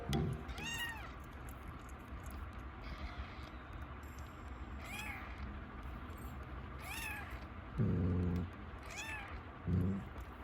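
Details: Pet mother cat giving birth to two kittens on New Year's Day 2024, meowing four times, spaced a few seconds apart. Each meow is a clear, tonal call that rises and falls. Two dull low thumps are heard near the end over a steady background hiss.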